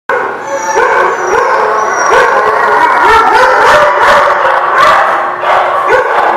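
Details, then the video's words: Several dogs barking and howling together without pause, loud overlapping yelps and rising whine-like howls forming a continuous chorus. "The Barking Lot"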